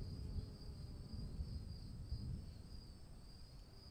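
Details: Cricket heard through rain, its high trill pulsing gently in slow waves of loudness over a dense low patter of raindrops.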